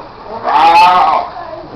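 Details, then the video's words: Seals at Morro Bay giving one drawn-out harmonic call of nearly a second, swelling and then steady in pitch before fading, with quiet background noise around it. "Morro Bay Seals Annoying Sound"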